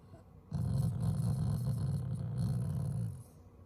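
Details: A loving family Shiba Inu grumbles at its owners as a playful show of affection while its cheeks are pushed up; one continuous low, throaty growl lasting close to three seconds, slightly pulsing, in a quiet indoor setting.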